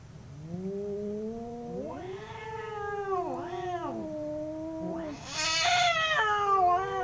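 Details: Fighting domestic cats, two of them, produce low growling howls that climb and dip in waves, building into a harsh, loud, screeching caterwaul in the final seconds.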